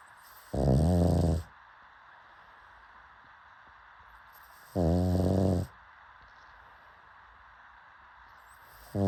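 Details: Sleeping pug snores in a steady cycle, a rattling, deep harmonic snore about once every four seconds, with soft hiss between and a third snore starting at the end.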